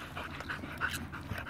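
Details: Border Collie panting during fetch training, a soft run of breathy, noisy puffs in quick succession across the clip, with no other clear sounds.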